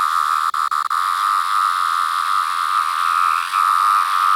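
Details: Periodical cicada, a larger 17-year variant with yellow-brown striping under the abdomen, recorded close up; a steady, high-pitched droning whine held almost unbroken, with three brief cut-outs near the start and a slight dip later.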